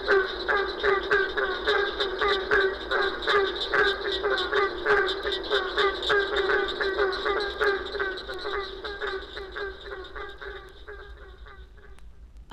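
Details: In Florida, many barking treefrogs call together, each giving a hollow, resonant, bark-like note about every second, merging into a busy chorus like a pack of baying hounds.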